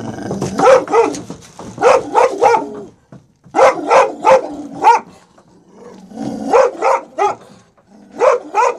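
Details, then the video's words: Protective Presa Canario Major play attacking after reuniving with his two-year-old son Roscoe in Atlanta, Georgia, 18 January 2014; rapid clusters of deep barks, two to four at a time, separated by short growling pauses. "Presa Canario Attacking"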